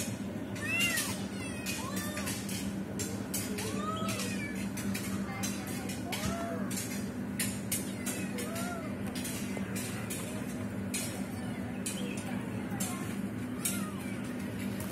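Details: Mother cat trying to free a trapped kitten; arched meows come about every one to two seconds, softer and more spaced than a full chorus, against a constant low drone and intermittent sharp clicks.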